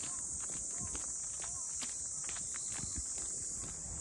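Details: Continuous shrill buzzing of cicadas over the harbour town of Ine, north of Kyoto, Japan, heard during a walk among the funaya port houses, with close footsteps and brief faint voices underneath.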